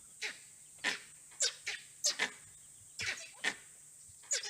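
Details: In Bar Nawapara Wildlife Sanctuary, Chhattisgarh, India, a teak, sal and mixed forest, langurs in trees give harsh, rasping alarm barks every half second, some doubled, at a possible leopard or wild dog, over steady insect hiss.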